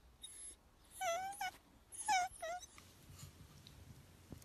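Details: Dachshund, a sausage dog, giving two high whining cries near one second and two seconds, each a wavering tone with bright harmonics, followed by quieter faint sounds and soft rustling.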